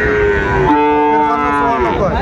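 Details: Sahiwal bull calf at the opening of Ambari livestock market in Dinajpur, Bangladesh, on 14 March 2025, giving a long, steady, tonal low moo that follows a shorter higher call, over dense market chatter.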